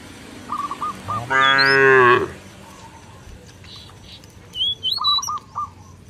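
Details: Cow wandering in a village field, calling its companions to come back to the pen. One loud, rich, sustained moo of about a second, with short chirps and whistles from birds before and after.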